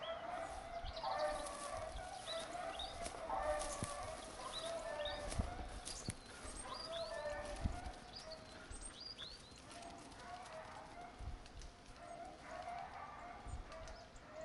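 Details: Beagle on a hunt on 19 October 2022 after losing the hare: distant, drawn-out harmonic baying in repeated bouts, with small birds chirping high above and faint rustling throughout.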